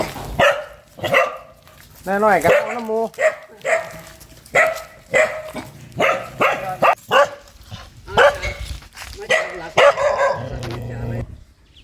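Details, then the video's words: A very fierce dog barking steadily in short sharp bursts, one rising yelping run near the start, while a person talks in the background. "เสียงหมาเห่า หมาดุมาก"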